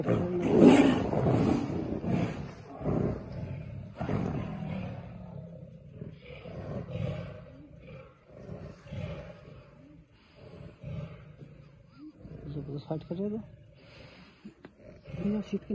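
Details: Fighting tigers in Tadoba jungle, India: a loud harsh roar at the start, then lower rumbling growls and snarls that fade, with a few sharper squeals near the end.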